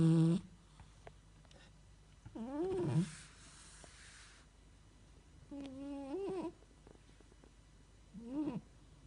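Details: Sleeping domestic cat snoring: short, low, voiced nasal snores with bending pitch, coming in bursts about every three seconds, separated by quiet breathing pauses in a quiet room.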